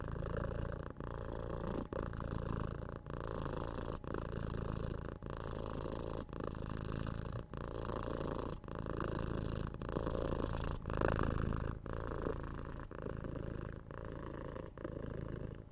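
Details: Tora, a six-month-old kitten, purring loudly as she is petted, kissed and scratched on the head, 3Dio binaural recording. A deep continuous rumble swells and dips about once a second with each breath, with faint rustling of fur.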